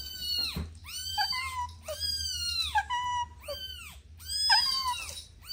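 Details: Playful kittens with their mother produce repeated bright, arching meows, some sliding downward into lower tails, roughly five calls spread across a few seconds in a small room.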